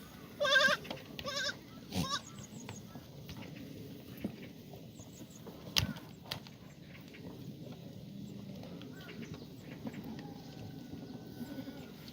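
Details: Black goats on a farm in Gimhae, South Korea, in the exercise yard on a sunny April morning in 2019; two short bleats at the start, then fainter distant bleats and scattered knocks amid farmyard noise.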